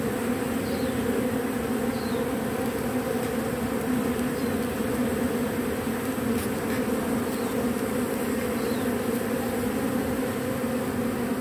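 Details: Robber bees taking propolis from matchsticks; a steady, dense buzzing drone holds throughout with a low hum and a stronger mid-pitched band, unbroken and even, with faint brief clicks above.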